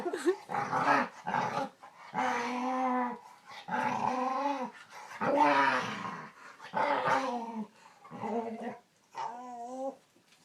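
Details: Dog making a string of weird, chatty sounds: about seven separate groaning, yodel-like utterances, each bending up and down in pitch, roughly one every second and a half, some edged with growly roughness.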